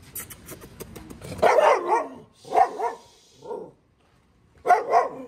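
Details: Dogs sitting at a hotel mini zoo in Turkey, 2023: four loud, rough barks, singly and in short pairs, about a second apart with a brief gap before the last, after faint low talking at the start.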